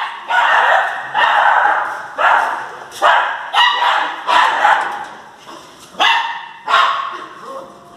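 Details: Jagdterrier in Brazil: a series of sharp, harsh barks, roughly one per second, each trailing off, about eight in a row with slight variation in pitch, and a faint voice in the background.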